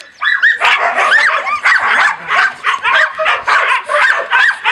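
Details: Husky and laika puppies on 04.06.16, loudly yapping and howling together, a chorus of high whining howls with bending pitch and quick yips in overlapping bursts, roughly two per second.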